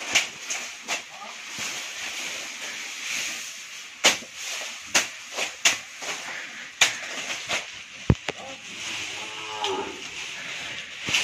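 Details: Hallikar stud bull filmed at Thattekere in Kanakapura Taluk gives a brief, faint lowing moo toward the close, preceded by repeated sharp knocks and clatter against a constant noisy background.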